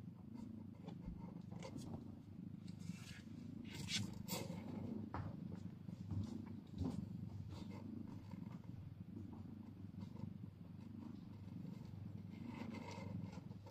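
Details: A mother cat and her fragile newborn kitten soon after birth, in old footage. Loud, close purring rumbles steadily, with rustling bursts of movement scattered through.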